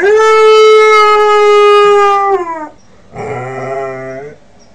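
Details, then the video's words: Young Northern Inuit dog, five months old, learning to howl: a long steady mid-pitched tonal howl with rich harmonics for over two seconds, sliding down at the end, then a shorter lower, rougher howl after a pause. "Northern Inuit howling"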